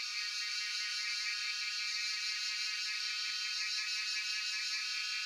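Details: Cicadas, locally called jhyaukiri, recorded on a cellphone in Shivapuri National Park (Tarkeshwor): a steady, dense, shrill buzzing drone with faint rhythmic pulsing and closely stacked bands, holding constant loudness throughout.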